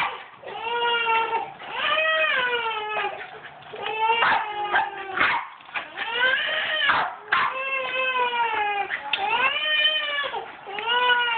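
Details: Raven and Casper, a pair of Jack Russell Terriers, vocalize during a tetherball game with repeated wavering, high whining yowls that arch up and down, broken by sharp clattering knocks from the play.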